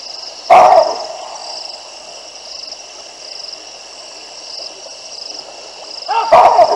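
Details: Baboons reacting to two lionesses passing under their trees at the Olifants River, Africa, 9 December 2022, live camera: two separate harsh barks several seconds apart against a steady high-pitched drone.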